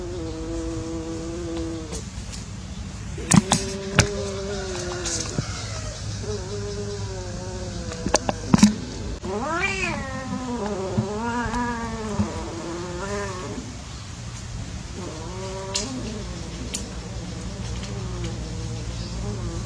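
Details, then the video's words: Playing cats, billed as unsuccessful love, give a series of moaning yowls of varied length, some sharply rising and wavering, mixed with sharp knocks and clicks over low rumble. "Playing cats / Unsuccess love !"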